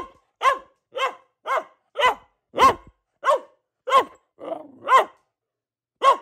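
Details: Household female Boxer delivering an even chain of about ten sharp barks spaced about half a second apart, with one softer, rougher grumbling sound mixed in near the end.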